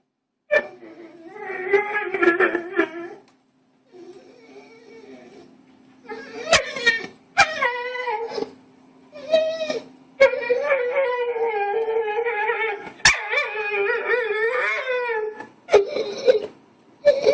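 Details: Dog making a weird vocal noise indoors: drawn-out, tonal whining and yodelling howls in bursts of one to three seconds, wavering up and down in pitch, separated by short pauses, with sharp clicks and a few faint voices.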